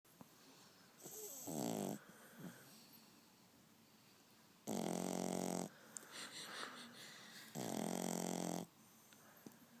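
A French Bulldog puppy snores in loud, rasping, rattling bursts with quieter breaths between.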